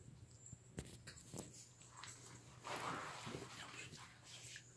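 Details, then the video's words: A puppy watching a friend on a television screen, missing her, gives a soft whimpering sound with a louder breathy burst near the middle, over faint footsteps, rustling and a steady low indoor hum. "reaction of puppy who missing her friend on tv"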